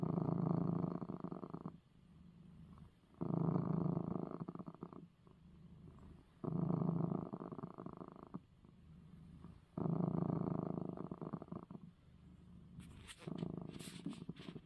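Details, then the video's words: Domestic tomcat purring after his eye medicine: strong low rumbling purr in regular loud surges about every three seconds with quieter stretches between, ending with some rustling noise. "#cat #coco #purring #after #receiving #his #eye #medicine"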